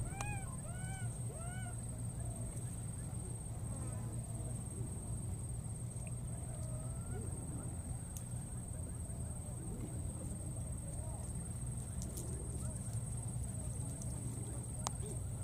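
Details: Wild baby monkey, recklessly crossing water, keeps looking for and calling for his friend: three short, arched, whining calls in quick succession during the first two seconds, then only a steady low rumble and background hiss.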